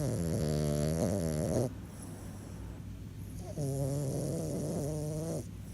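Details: Sleeping French Bulldog giving two drawn-out snores of under two seconds each, separated by a quieter exhale; each is a buzzy, throaty rattle with a hissing airy edge.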